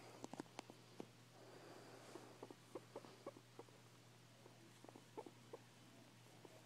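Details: Pet guinea pig named Linny making weird noises indoors, recorded on an iPhone 4: quiet, short clicking pulses in irregular bursts, some carrying faint low tonal squeaks, over a steady low electrical hum.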